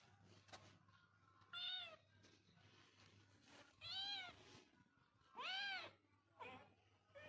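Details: Kitten or cat meowing four times at irregular intervals, each a clear, arched, slightly plaintive meow, the third the loudest and longest, with a steady low hum underneath.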